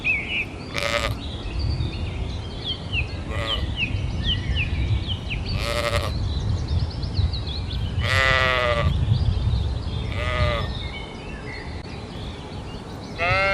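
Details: Short, sharp sheep bleats recur every two to three seconds, six in all, each a brief nasal burst. Light bird chirping and a low rumbling background continue underneath.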